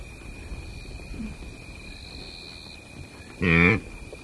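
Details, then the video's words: Single loud, nasal blue wildebeest grunt near the end, recorded close in Kenya's Masai Mara Game Reserve, following quiet seconds filled with a constant insect whine and faint bird calls. "Blue Wildebeest / CU Grunts"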